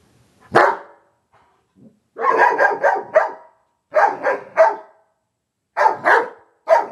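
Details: Two Giant Schnauzers, Moses (black) and Elsa (gray), playing together: a single sharp burst, then three clusters of rough, rapid growl-barks, each a quick run of three or four harsh pulses with short silent gaps between.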